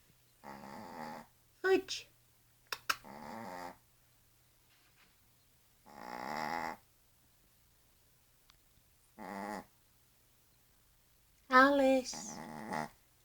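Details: Small female Yorkshire Terrier asleep in Blackpool, with another dog sleeping nearby, giving rough, droning snores in separate bursts about every three seconds, some rising and wavering in pitch, with quiet pauses between them.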